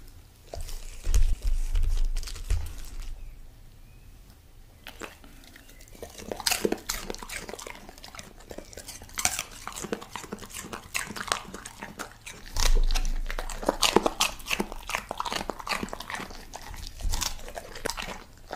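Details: Golden Retriever named Koko eating vegetables indoors: irregular crunching and munching bites in bursts, with clattering of dishes and a brief voice in the background.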